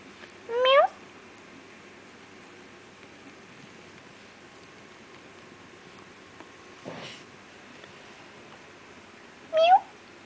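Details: Feral kittens born and raised by a feral cat in an industrial area: two short, clear meows with bright harmonics, one near the start and one near the end, about nine seconds apart, and a soft knock between them in an otherwise quiet room.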